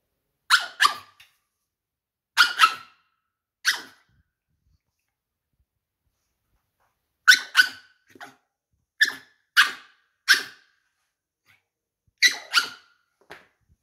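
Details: Jerry the pug, indoors in winter, barks insistently to be let outside; sharp yapping barks come singly and in doubled bursts, with a long pause midway, then quicker runs of barks near the end, no other sounds.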